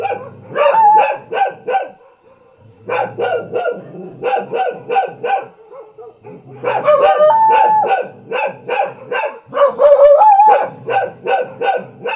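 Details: Village dog in Thailand barking in quick bursts of sharp, repeated barks, roughly three or four per second, with short pauses between volleys and a higher whining tone mixed in near the end.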